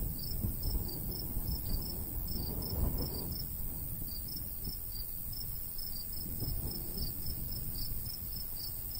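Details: Summer countryside crickets by a golden wheat field keep up a continuous train of sharp, high chirps, the rhythm slightly uneven, beneath a low, gusting breeze.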